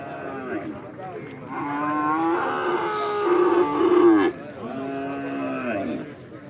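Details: Bull calves brought to a market for sale, drawn-out mooing with steady harmonic bellows, one long low moo followed by a shorter one, while people nearby talk about the calves and their price.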